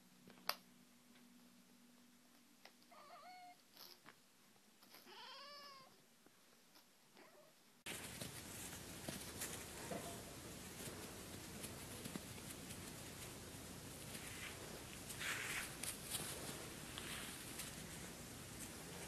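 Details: Domestic cat from a Japanese compilation of funny, cute cat moments. Several short, bending meows and chirps come in a quiet room over a steady low hum, then loud broadband noise takes over for the rest.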